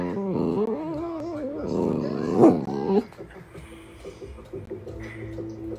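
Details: Dachshund, a playful sausage dog, told to "speak" for a crunchy jerky treat, answers with a drawn-out, wavering whine-howl lasting about three seconds, rising and falling in pitch, then fades to quieter sounds with music underneath.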